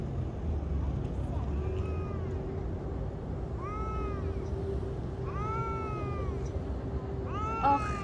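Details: Street-living stray cat meowing while petted: four clear, bowed meows that rise then fall, spaced a second or two apart. A constant low hum and distant rumble sit in the background.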